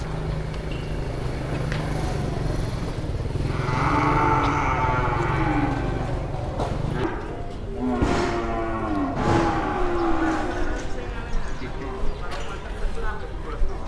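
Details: A jumbo cow at an Indonesian livestock market, arriving early and drawing a crowd of traders: two drawn-out, harmonic moos rise out of steady crowd chatter and nearby men's voices, with background bustle throughout.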